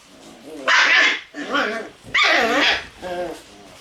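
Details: Shiba Inu puppies in their puppy room on a rainy morning, May 12: four short, loud, harmonic barks or yelps spaced about half a second apart, with a person speaking softly alongside.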